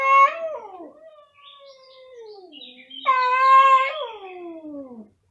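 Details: Two cats meowing very loudly: a short wavering meow, a long low drawn-out moan sliding downward, then a loud steady yowl near the three-second mark that trails off falling.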